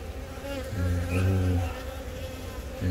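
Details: Honey bees on the comb around a newly mated queen from this year's first natural swarm, laying eggs, April 20 at Baegam, Yongin; a low droning buzz with layered harmonics swells in the middle, then eases over steady colony hum.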